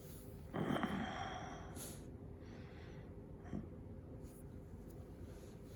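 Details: Sneezing Shiba Inu during its daily routine: one sharp, loud burst at about half a second, followed by quieter snuffles near the two- and three-and-a-half-second marks against a low steady hum.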